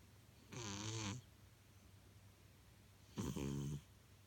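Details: Sleeping domestic cat snoring like a person: two drawn-out nasal breaths, each about half a second, with low harmonic rumbling and a hissy upper layer, separated by quiet.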